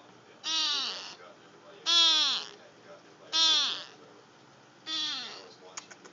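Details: A female cat, found after a snowstorm in North Carolina, gives four hoarse, nasal meows with a quacking, duck-like rasp, each under a second long and about a second and a half apart. She sounded like this before she learned to meow properly.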